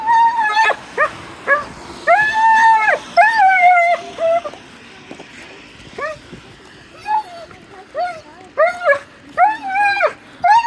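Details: Dog giving a run of high, tonal whining yelps and howl-like cries, some held about a second and arching in pitch, others short and clipped, coming in irregular bursts with brief quiet gaps between them.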